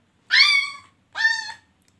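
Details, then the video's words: Puppy making cat-like sounds indoors: two drawn-out, harmonic mewing cries, each slightly rising then falling, with a short silence between them. "when my puppy talks like a cat"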